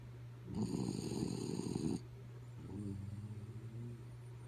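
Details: Sleeping dog Kaya Boo: a single coarse, buzzing snore of about a second and a half, followed by a trembling, pulsed whistly exhale, with a steady low hum underneath.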